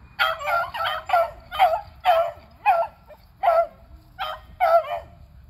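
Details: Three beagles (Athena, Zeus and River) chasing squirrels, April 21, 2020: a steady run of about nine ringing barks, roughly two per second, several trailing off in falling, drawn-out tails.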